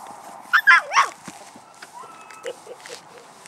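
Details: Puppies of Paquera giving a quick cluster of high, whining yelps with bent, sliding pitch early on, then softer short squeaks trailing off; faint background noise throughout.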